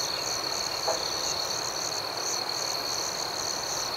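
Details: Outdoor night ambience of crickets, a steady shrill tone held throughout with a soft rhythmic flutter higher up. A brief faint lower sound appears near the one-second mark.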